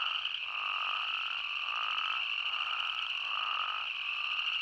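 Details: Spadefoot toads and boreal chorus frogs in Yellowstone National Park in a dense mixed chorus: a steady high trilling drone, with lower pulsed trills repeating roughly every second.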